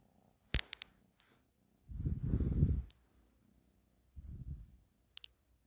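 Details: A domestic cat named Ashley purring indoors: low rumbling bursts, one strong swell around two seconds and another near four seconds, with a few sharp clicks scattered between.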